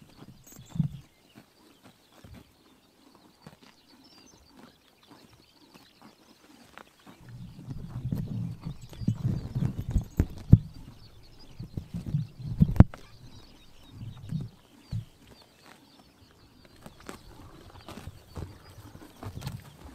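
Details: Horses cropping grass in the morning sun in summertime Mongolia: a few isolated bites at first, then from about seven seconds a busy series of low, rhythmic tearing crunches, easing back to scattered single bites.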